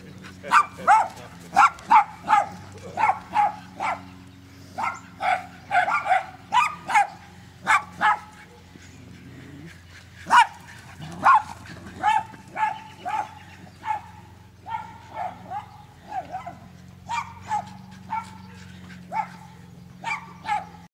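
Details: Excited dogs, including a senior rescue Rhodesian Ridgeback, playing chase-me games in a park at Emu Bottoms Wetlands; sustained run of sharp, bright barks and yelps, repeated roughly every half second with brief pauses, low hum beneath.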